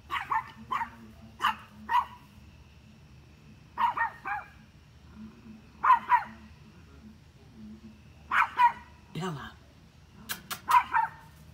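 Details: A dog barks at deer in short clusters of sharp, mid-pitched barks, often in pairs, spaced every couple of seconds over a steady low hum; a brief low voice-like sound appears midway.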